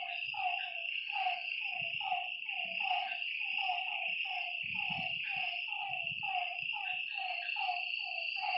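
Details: Night frog chorus at a lakeside, with short falling croaks tumbling over one another at an uneven pace, a constant shrill insect drone behind, and a few soft low thumps.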